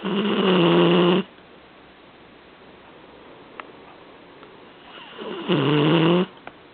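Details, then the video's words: Indoors on a couch, a seven-month-old Vizsla/Weimaraner puppy sleeps in his favorite position and snores loudly: a rough droning breath at the start and another near the end, quiet breathing between. "Our Snoring Vizsla - Sleeping in his favorite position!!"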